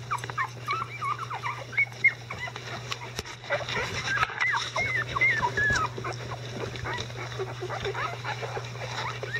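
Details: Eleven-day-old Icelandic Sheepdog puppies with adult dogs cleaning up around them: continuous crowded squeaking and whining, thin high notes sliding up and down several times a second, rustling movement and a low steady hum behind.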